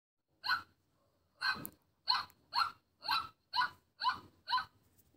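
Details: Chihuahua in the morning, giving a series of eight short, sharp, breathy yaps. After an opening yap and a pause, they come roughly every half second against a quiet background.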